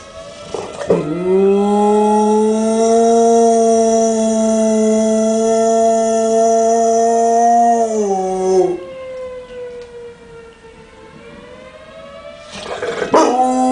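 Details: One-year-old Dogue de Bordeaux puppy singing along with tornado sirens: a loud, steady, drawn-out howl held for about seven seconds, ending with a drop. A wavering siren tone then dips and rises before a brief rustle.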